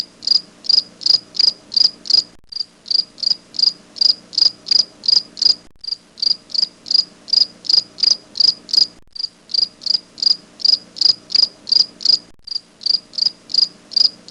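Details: Regular high-pitched chirps from a grasshopper, pure and ringing, repeated roughly three times a second in runs broken by short pauses every few seconds, over a soft low background hum.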